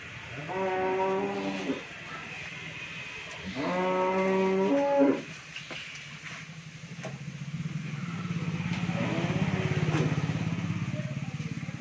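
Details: Friesian dairy cow with her heifer calf on a farm in Bhangura, Pabna, Bangladesh; two loud, rich harmonic moos about two seconds apart, then a fainter third, over a steady low engine-like drone.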